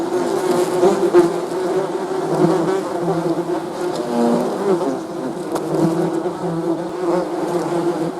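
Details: A crowd of bees producing a thick, humming buzz, with the nearer insects' wingbeats briefly rising in pitch over the steady low drone; occasional faint taps.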